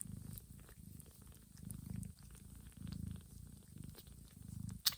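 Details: Mother cat purring while gently grooming her sleeping kittens in a quiet, warm room, licking their heads, backs and bellies to guide them toward feeding; a low, rumbling purr swells and fades in steady cycles about once a second, with faint licking sounds.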